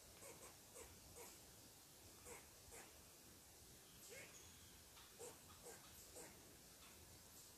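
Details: ['Agitated squirrel repeatedly barking at an intruder sitting on its tree: short, sharp chucks at irregular half-second to one-second intervals over steady faint hiss.']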